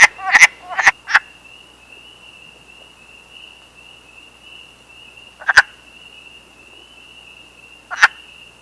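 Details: In a Canadian forest on 21 April 2015, after a day of rain and warm temperatures, wood frogs out of hibernation gather at temporary pools to mate, giving short, hoarse, duck-like clucks over a steady thin high whine.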